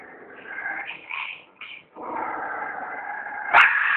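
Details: A dog gives drawn-out, tonal whining with layered harmonics. A short quiet gap breaks it, then it resumes steadily and ends with a sharp click-like burst.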